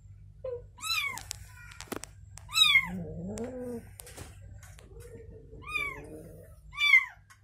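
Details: Mother cat with her newborn kitten indoors: high, arched mews that rise then fall, heard in pairs with long gaps, and softer, lower wavering calls between them.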